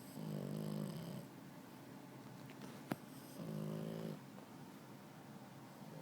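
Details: Sleeping puppy snoring with open eyes: two drawn-out nasal snores about a second long, separated by soft raspy breathing, with a sharp click between them.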